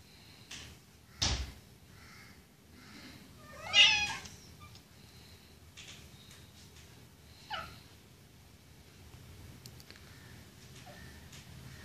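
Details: Domestic cat during a mating session, giving a brief strained wavering meow near the fourth second and a shorter cry later. A sharp knock is heard just before, with faint rustling in a quiet room.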